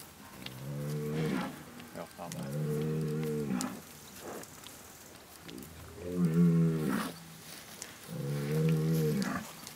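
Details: Bazadaise cattle lowing: four deep, harmonic moos, each about a second long, spaced roughly two to three seconds apart, over faint rustling background noise.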